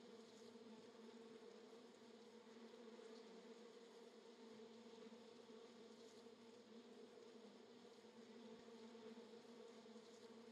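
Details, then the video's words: Swarm of bees, perhaps honey bees, mobbing a hovering drone in Florida; an unbroken, thick buzzing hum holds steady for ten seconds without pause. "Bees SWARM Drone in Florida"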